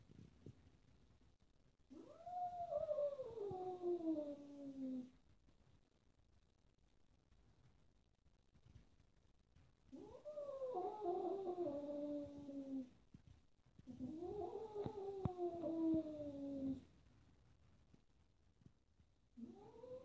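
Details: Annoyed kitten indoors among four cats at play, one black cat behaving roughly; a series of long complaining meows, each rising sharply then falling slowly, about three seconds long with pauses between, the last one starting at the end.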